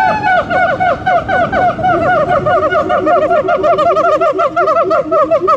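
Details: Siamangs in full song: a dense, rapid torrent of overlapping ringing barks and whoops, several voices calling at once in a continuous loud chorus.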